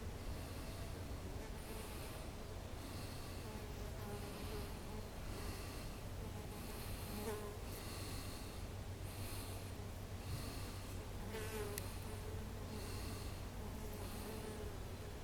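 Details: Bumblebees buzz in a low, steady drone that swells and fades as they move among ceanothus and wisteria flowers in a garden on 1 April 2021.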